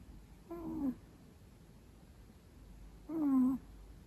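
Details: Long-coat Chihuahua snoring loudly while napping at midday beside its owner, a pet indoors: two tonal, nasal whistling snores about two and a half seconds apart, each steady then dipping slightly at the end, over quiet room hiss.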